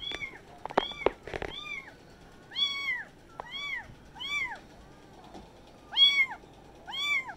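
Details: Kittens all talking at once: clear, rising-then-falling mews come in a loose series, about one each second, with a few sharp clicks and taps near the beginning in a quiet room.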